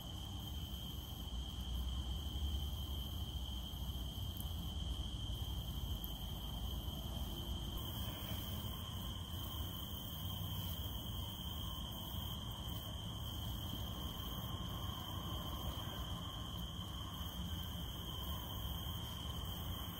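A cicada holds a continuous, even, high-pitched drone without pauses, and a second, slightly higher buzzing tone joins partway through. Rainfall makes a constant broad hiss underneath.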